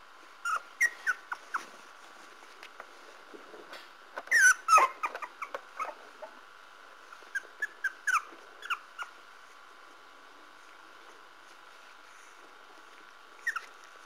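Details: Parson Russell Terrier puppies whimper and squeak in bursts, a busier cluster of rising whiny peeps near the start and middle, then long quiet stretches with faint rustling and a last squeak near the end.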